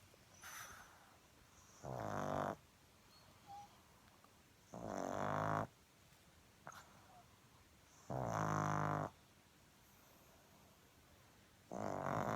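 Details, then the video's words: A sleeping pet pug snores. Four loud, rough, buzzy snorts come roughly every three seconds, each lasting under a second, with quiet breathing between them. "Snoring Pug"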